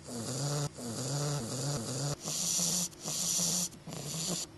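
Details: Holiday-season snoring from Augustus, a sleeping English bulldog puppy: rapid rumbling snores with a wavering, almost sung nasal tone, followed by longer hissing breaths with a sharp high rasp.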